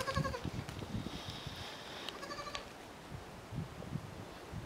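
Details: Miniature goat buck Niño and his kids playing on a French farm; a bleat opens, two wavering harmonic bleats follow mid-clip, over dull thuds and scuffling.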